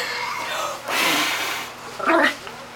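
A puppy gives a breathy, hissing sneeze followed by a brief, high, squeaky little bark.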